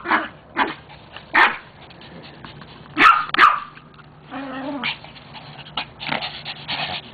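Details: Dog giving scattered barks and yips, a sharp pair of barks midway, then a whining, tonal stretch and several shorter yelps, with a constant low background hum throughout.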